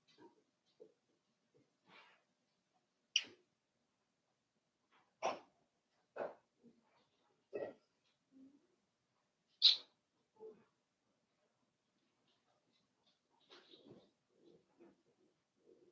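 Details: Five-week-old Cavalier King Charles Spaniel puppies in an indoor puppy pen, heard as scattered short, sharp yips and small barks with quiet gaps between, a few faint murmurs near the end.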